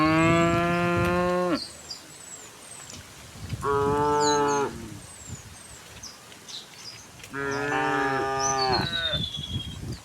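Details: Dozens of tame cows walk along a path to a green hill; three long, rich, harmonic moos, the first and last nearly two seconds, with scattered high bird chirps between them.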